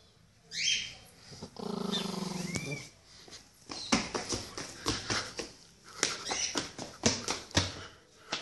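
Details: A Pinscher dog growling while guarding its ball: one steady, rumbling growl lasting about a second after a short sharp yelp, followed by clattering, tapping handling noises.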